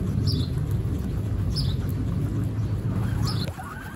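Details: Three brief, high, downward-sliding squeaks, spaced over about three seconds, from one-week-old pet baby guinea pigs named Snow, Pistachio and Pumpkin, heard above a dense low rumbling background.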